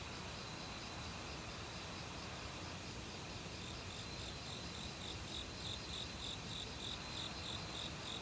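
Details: Forest crickets in autumn, joined by various other insects, beside a valley stream: rapid high-pitched pulses repeat steadily in the second half, layered over continuous thin trills and a constant wash of flowing water.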